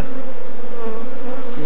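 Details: Kenyan swarm of African honey bees, Apis mellifera scutellata, during capture by a beekeeper with children nearby; an unbroken, thick droning hum that holds an even pitch without pause.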